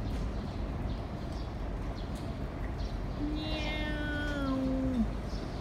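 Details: Domestic cat at mealtime with cat food: after about three seconds of quiet background rumble, one drawn-out meow about two seconds long, held level, then dropping at the end.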